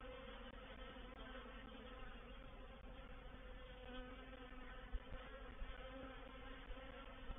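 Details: Honey bees of a reproductive swarm entering a swarm trap at Painted Peacock Manor, 04/07/21. Many wingbeats merge into a continuous low, even drone with faint steady overtones and small ticks near the middle.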